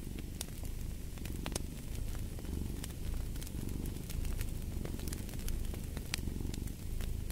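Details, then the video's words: Low continuous cat purr rumbling under fireplace ambience, the deep drone rising and falling in gentle breathing waves while frequent bright crackles from the fire punctuate it. "Fall asleep to the Purring of a Cat"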